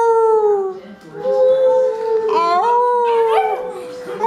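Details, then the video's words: Cocker Spaniel puppy howling while singing along: long, tonal, wavering howls that slide in pitch and overlap in places, rising and falling across several seconds. "Cocker Spaniel Puppy Loves to Sing Along"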